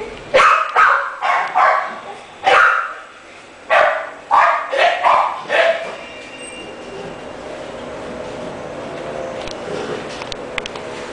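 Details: French Bulldog barking in a quick run of about nine short, sharp, hoarse barks over six seconds, unevenly spaced, then quiet room tone with faint background noise.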